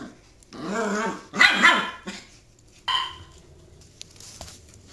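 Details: Border Collies playing a chasing game; two drawn-out, harmonic growling barks, then a shorter high bark-yelp, with quiet gaps and faint clicks between.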